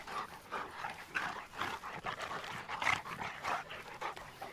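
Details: Cane Corso dogs Tucker and Nessa at playtime, rapid breathy panting bursts with soft noisy huffs, a steady run of short puffs across the whole stretch.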